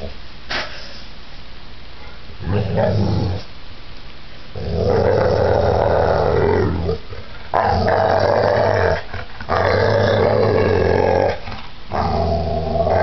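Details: A giant pit bull in a violent attack, with softer rumbling at first, then loud, drawn-out snarling growls lasting several seconds with brief breaks.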